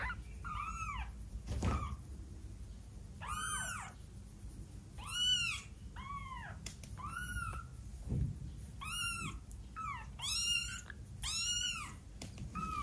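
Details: Kitten aged twelve days, making some of its first mews: a steady series of about ten high, arched, bright cries every second or so, with soft thumps and handling noise between them.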